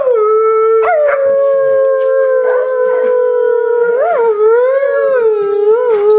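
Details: Airedale Terrier named Hunter howling when asked to sing: one long, steady, tonal howl held at a single pitch with rich harmonics, small upward bends and wavers near the end, loud and unbroken throughout.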